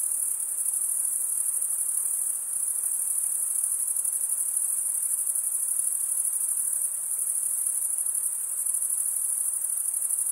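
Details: Chorus of chirping crickets, males rubbing their wings together, forming a constant piercing high-pitched ringing trill, finely pulsed, with brief small dips in intensity around two and a half and seven seconds; no other sound.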